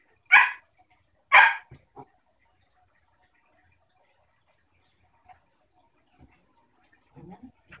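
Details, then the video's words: A German shepherd puppy and her 6-year-old basenji pit bull mix sister at play: two loud, bright barks a second apart, a short yelp, then near silence with a few soft scuffs and low sounds at the end. "German shepherd puppy and adult Basenji Pit play"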